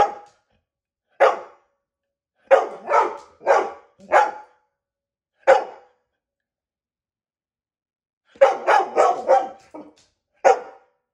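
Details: A dog barks in sharp, separate bursts, about a dozen in all, some single and others in quick runs of three or four, with clean silence between them.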